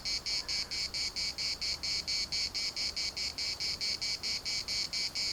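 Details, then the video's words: At the municipal park in Larnaca, cicadas produce a strident, metallic buzzing in crisp, evenly spaced bursts, roughly two each second, unbroken and dominant over a quiet background. "CICADAS at the municipal Park Larnaca"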